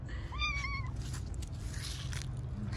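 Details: Stray street cat being petted; one clear meow of about half a second, rising and then held level with a slight waver, over steady low rumbling background noise.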